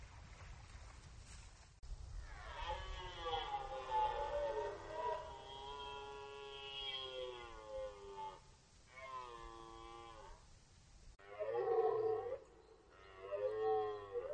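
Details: Red deer stag roaring during the rut on the Orzysz military training ground, archival recording; one long drawn-out harmonic bellow that rises and falls for about six seconds, then two shorter roars close together.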